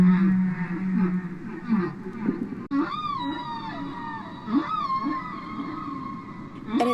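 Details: A humpback whale sings low drawn-out moans, then higher sweeping, wavering cries in a rhythmic, patterned sequence; song sung only by males, from a 1970 recording.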